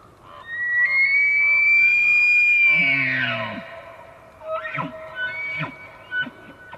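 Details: A bull elk bugles during the rut in the Canadian Rockies: a long, rising, high whistle sliding into deep grunts, then a few chuckles.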